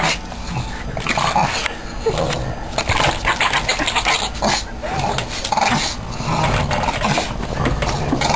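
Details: Two Boston Terriers play tug of war, and the smaller one is the vocal one, growling roughly and rumbling in play, mixed with huffs and scuffling noise.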